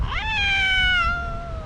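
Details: An angry, recently neutered calico cat fighting other cats in her park territory gives one long, tonal, drawn-out yowl. It starts with a quick rise and then slowly sags in pitch. A person speaks just before.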